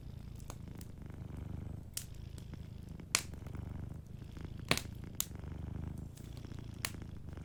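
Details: Gentle low purring from a sleeping cat, soft rhythmic rumble underneath several loud, sharp fireplace cracks and pops spaced irregularly across the recording.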